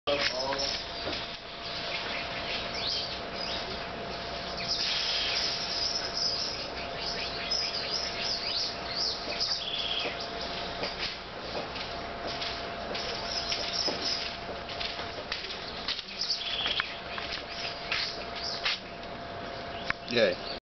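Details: Young Linnaeus's mouse opossums (Marmosa murina), a small Brazilian marsupial, give dense high-pitched chirps and squeaks almost without pause over twenty seconds, with a faint steady hum underneath and a few voice-like sounds.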